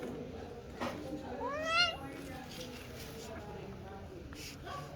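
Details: Kitten meowing: a single clear harmonic meow around 1.6–1.9 seconds, rising then falling, amid low background murmur and faint clicks.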